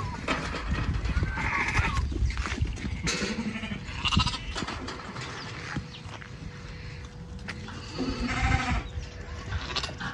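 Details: White Dorper sheep on a South African farm, heard as several wavering, nasal bleats rising out of steady low rumbling background noise and a faint constant hum.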